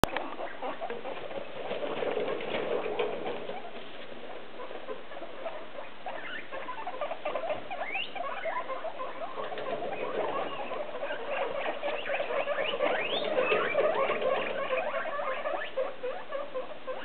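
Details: Six hungry guinea pigs in holiday cages chatter and squeak together near dinner time, with rising whistled wheeks calling for food.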